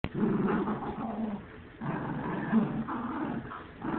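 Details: Dogs at play or squabbling, low rumbling growls with bursts of harsher snarling, continuous through the stretch with short pauses, no other sounds clearly present.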